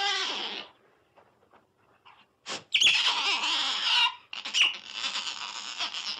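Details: Otter squeals in bursts of high, strained squeaking: a short opening run, a quiet gap with faint ticks, a sharp click, then two longer shrill, wavering stretches.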